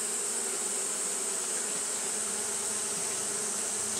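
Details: Japanese honey bees fanning during hot weather produce a brief, uniform buzzing hum with a steady high hiss layered over it.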